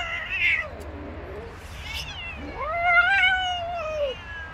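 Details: Female street cat under attack by three male cats: a faint low yowl at the start, then a loud, drawn-out wail from about 2.5 seconds that rises and slowly falls, rich in overtones, over a low steady background hum.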